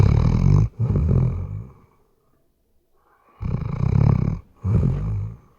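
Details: Weimaraner snoring heavily in sleep, RODE NTG3B microphone: long rough roaring snores in doubled pairs, each pair split by a brief gap, with a short quiet pause between the pairs.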